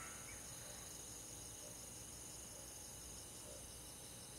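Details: Summer-night crickets among forest and rural grass insects, a constant shimmering high trill of rapid pulses layered over a soft steady wash of night ambience.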